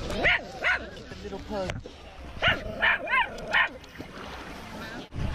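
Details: Several short harmonic barks and yips in quick bursts as off-leash dogs meet a male Siberian Husky at Lake Nacimiento, with a man's speech between and over the calls.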